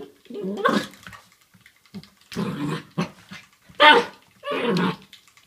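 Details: Black Labrador Retriever puppy indoors playing with a door stop; four bursts of rough growling and yappy barking, each under a second long, separated by short quiet gaps with faint thumps.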